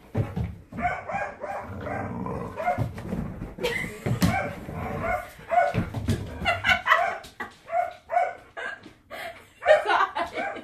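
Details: Border Collie Storm keeps barking at the new ball he won't touch: rapid strings of short, mid-pitched barks over a constant rumbling background, growing denser and louder near the end.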